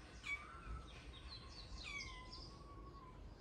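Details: Talkative stray kitten Shippona in Paraguay complains on a cold morning: a soft, drawn-out meow slides gently downward, and a second thin, falling cry follows it, over faint outdoor chirps and a low background rumble.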